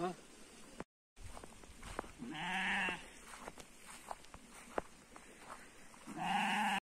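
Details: Sheep during shearing on a farm, two drawn-out wavering bleats rising over a steady rumble, with sharp clicks of handling and a man's voice between calls.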